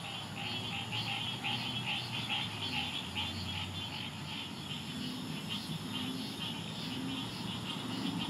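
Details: A Green Tree Frog (Dryophytes cinereus) calls from rushes at the edge of a large pond in Memorial Park's Eastern Glades, Houston, Texas, amid a dense chorus of other tree frogs and an occasional American Bullfrog croak.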